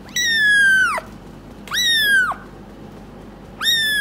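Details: Month-old gray kitten rescued from Paraguay, kept in a foster home and wanting to climb on a lap. It gives three loud, drawn-out meows, each rising quickly, holding, then dropping sharply, with short pauses between, indoors.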